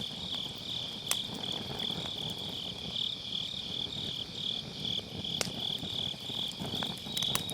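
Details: Grass insects sing a high, slightly pulsing trill through an autumn night beside a crackling campfire in a round fire pit, Sennheiser MKE600 microphone with low cut; two distinct firewood pops stand out above soft low rumble.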